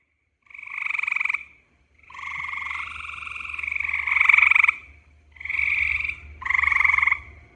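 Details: A gray treefrog (Hyla versicolor) gives its mating call: loud, pulsing, bright musical trills, each one to two seconds long with short pauses between, over a faint low hum.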